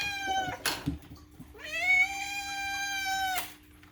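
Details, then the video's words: Pet cat indoors giving a long, drawn-out meow lasting nearly two seconds, steady and slightly falling at the end, preceded by a shorter meow and a sharp knock. "is all this unhinged meowing truly necessary?"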